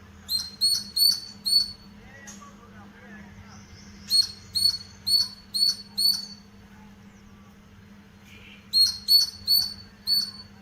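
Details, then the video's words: Squirrel in a leafy house garden, giving sharp, high chirps in three quick bouts of four to five notes each, about three per second, separated by pauses, over a faint steady low hum. "Squirrel Chirping sounds"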